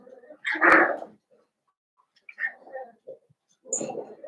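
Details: Young blenheim Cavalier King Charles Spaniel puppies, a litter of five born over New Year, whine indoors in a puppy pen. A loud squealing whine opens, followed by softer whimpers and another noisy burst at the end.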